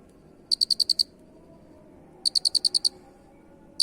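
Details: Cricket with a unique voice producing two rapid trains of six to seven shrill, high-pitched pulses, then the start of a third, with near silence between trains.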